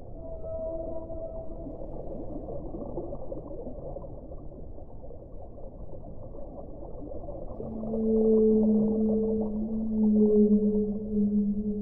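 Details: Whale song: low drawn-out moans with stacked harmonics, quiet wavering tones at first, then from the eighth second two strong, steady, level tones sustained for several seconds against a dull, muffled underwater hiss.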